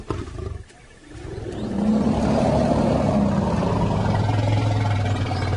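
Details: African lion of a pride, a deep gravelly roar that swells up after a short lull near the first second and then holds low and rumbling, steady and unbroken, for nearly four seconds.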